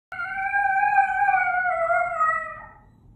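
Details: A dog howling like a coyote: one long, steady, wavering tone that sags slightly in pitch and fades out after about two and a half seconds, with faint low rumble beneath.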